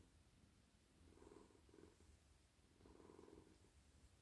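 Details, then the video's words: A friendly male domestic cat purrs softly while being stroked on a lap at night, a low rumbling purr swelling in gentle breathing pulses about every second or two, quiet throughout. "Cosy cat purring"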